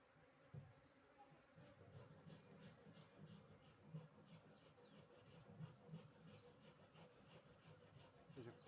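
Honey bees give a low, droning hum that swells and fades as they move close by. Soft rustling and rubbing sounds break in at intervals over the buzzing.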